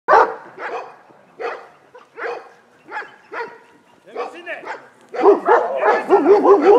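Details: An untrained Komondor in a personal-protection test at Gyömöre, 2014, gives deep, rough defensive barks in bursts about half a second to a second apart, then a rapid, forceful volley.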